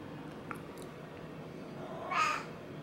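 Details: Domestic cat seeking affection, walking on two legs and rubbing against its owner indoors; one short, bright meow near the end follows a quiet stretch with faint room noise and low background hum.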